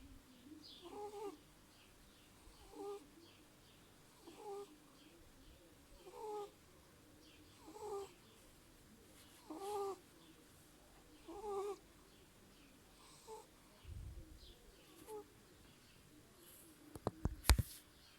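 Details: Sleeping 8-week-old Burmese kitten named Kira snores in a steady rhythm. A soft voiced rasp on each breath comes about every 1.7 seconds, then fades near the end. Sharp clicks sound at the close.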